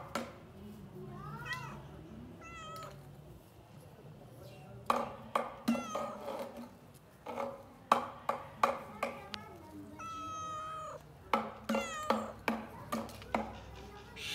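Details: Domestic cat meowing: several short, bent, harmonic meows spaced irregularly, with a longer drawn-out meow near the end, mixed with many sharp clicking or tapping knocks in a quiet indoor setting.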